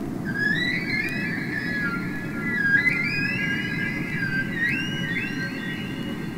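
Humpback whale song of long, wavering tonal moans that glide up and down over a low underwater rumble.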